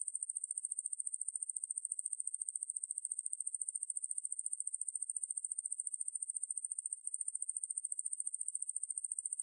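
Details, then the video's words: High, unbroken insect buzz of Ruspolia lineosa, the coneheaded katydid, from the National Institute of Biological Resources, 2020: a rapid steady pulse train with only a brief flicker near the seventh second. "왕매부리, 여러번 듣기, 곤충소리"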